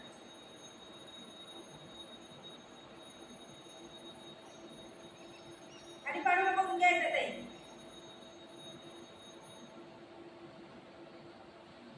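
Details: A steady quiet hum with one short burst of voiced sound, like a few spoken words, near the middle; no animal calls stand out.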